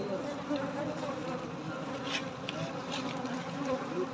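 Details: Quieter, hissier recording of honey bees humming during a night honey harvest, a low drone under broad background noise with faint scattered ticks.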